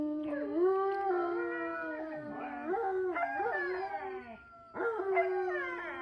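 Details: Pack of Siberian Huskies, including a female and her puppies, joining in a chorus howl: wavering overlapping tones that rise and dip, broken by short yips and a brief pause before the voices swell again.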